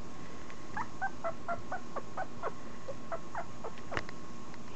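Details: Rapid string of high, piping squeaks from a 2.5-week-old Italian Greyhound puppy, about two per second and somewhat uneven, ending with one sharper cry, all over constant low room hiss.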